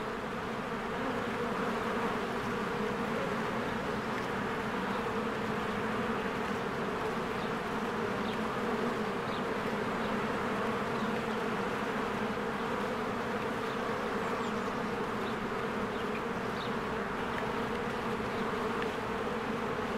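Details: Swarms of honeybees at their hive during spring bloom. Twenty seconds of steady, rich droning hum from countless wings, overlaid by occasional soft, distant bird chirps.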